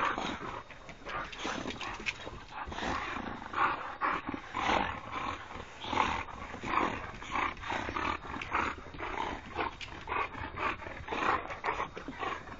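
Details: Boxers, three of them, at play: a steady stream of rasping growls and huffing grunts repeating every half second or so, loud throughout with no pauses.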